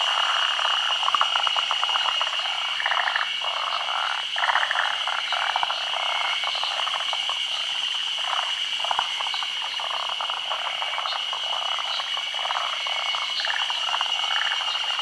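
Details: Japanese forest green tree frogs gathered to spawn at midday in the rainy season, their foam nests laid on branches above still water. Dense rattling croak bursts overlap throughout, with a constant high-pitched insect hum behind.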